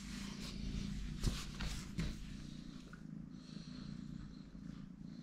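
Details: Kitten Totoshka purring in a small room, a low, even, pulsing drone that holds throughout, with a couple of brief bumps and faint rustling near the start.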